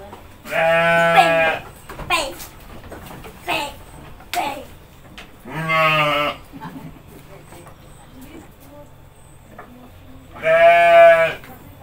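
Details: Domestic goats bleating while being fed by a child and mother: three long, steady, wavering bleats about five seconds apart, with quiet rustling between them.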